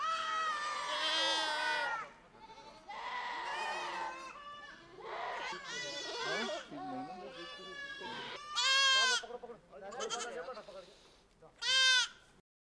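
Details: Changthangi, or Pashmina, goats herded with sheep in the Himalaya. Loud, harsh, quavering bleats come one after another, about six drawn-out cries, with the last two short and sharp.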